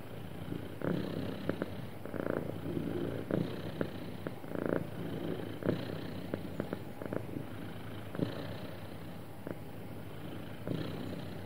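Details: Contented house cat, described as happy, purring in a continuous low rumble broken by rhythmic louder pulses, some doubled, recurring about every one to one and a half seconds with short sharp clicks between.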